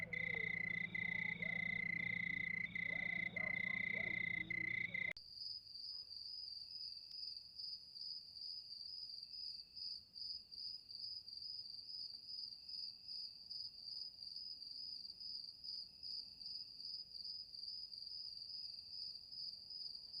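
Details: Crickets at night; lower tonal sounds open the recording for about five seconds, then the sound changes abruptly to a thin, high, steady cricket trill with faint regular pulses over a quiet background.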